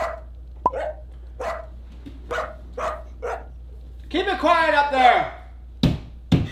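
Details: Dog barking in its crate at night: a quick run of short, sharp barks about twice a second, then a longer drawn-out whining bark with wavering pitch, ending with two sharp clicks.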